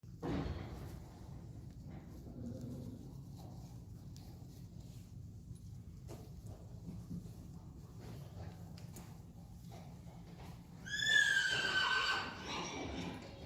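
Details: Saly, a Friesian mare in a herd, whinnies while having her long mane brushed during grooming, May 11, 2019: a single short, high, downward-sliding call near the end after quiet shuffling, brushing and soft handling noises.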